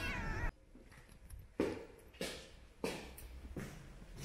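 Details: Domestic cats indoors meowing while their food is being put out; several loud, brief meows and calls at irregular intervals, separated by quiet gaps.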